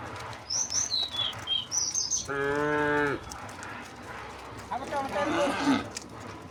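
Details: Tame cows on a village road heading to green rice fields, one short steady moo lasting about a second amid chirping birds and faint rustling.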